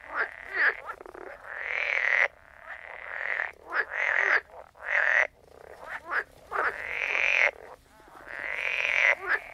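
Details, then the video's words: Frogs croaking in a soundscape: long rasping trills centred mid-range, each lasting about a second, alternating with short clicky croaks in a steady pulsing chorus. "Sound of Frogs Croaking"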